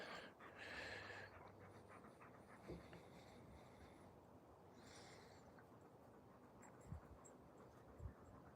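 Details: Alaskan Malamute named Raven, a female, playing outdoors in Vermont, USA, after being petted and drooling. Soft, steady breathy panting runs through a low outdoor rumble, with a few sharp clicks and faint high thin tones.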